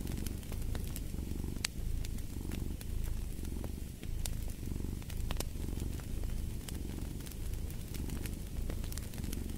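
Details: Cat purrs steadily near a crackling fire, the throaty rumble rising and falling in regular pulses roughly every second, while bright pops from burning wood punctuate the drone.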